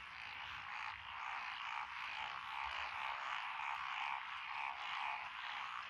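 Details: Rice paddy frogs among lotus in Echizen, Fukui, Japan, on 12 June 2021, where the named species are Japanese tree frog, Tonosama frog, wrinkled frog, Schlegel's and forest green tree frogs. Thick rasping croaks swell and fade in a steady throbbing rhythm.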